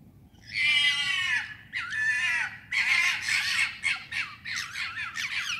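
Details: Foxes screaming at night in urban London, England: a harsh, drawn-out, hoarse screech, followed by a run of shorter raspy screams in quick succession. The background is quiet apart from a low hum.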